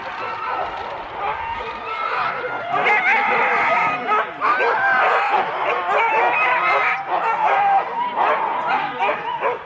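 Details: Huskies in four-dog sled teams at the start of a race at Rendlesham in January 2016. A dense, continuous chorus of overlapping yelps, whines and barks from many dogs at once, steady and loud throughout, with human voices mixed in.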